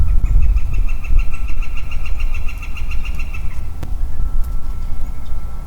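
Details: Early-spring woodland with a single male Western Chorus Frog: a rattling series of evenly spaced pulses opens the recording and runs over three seconds, then fades, leaving wind rumble, one sharp knock and a thin steady hum.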